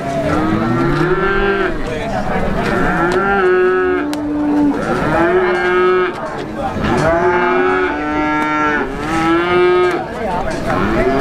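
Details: Calves at the Plaosan cattle market in Magetan, East Java; repeated moos, each rising then leveling off, about every two seconds with overlapping callers and a busy market background.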